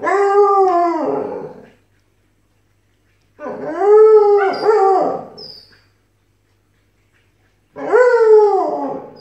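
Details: Siberian Husky and Alaskan Malamute puppy arguing until it becomes howling: three clear arched, harmonic howls, each about one to two seconds long, separated by silent gaps of roughly two seconds.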